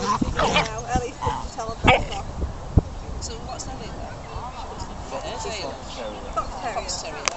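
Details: Ellie, a 15-week-old puppy at a puppy socialization class among other dogs, still learning manners: a burst of sharp, high yipping barks in the first two seconds, then fainter whiny yelps, with people talking throughout the room.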